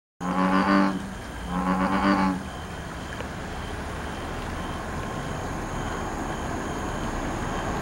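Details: American bullfrog giving two deep, droning, cow-like calls, each about a second long with rich harmonics, in the first two and a half seconds, followed by a steady low background hum with no further calls.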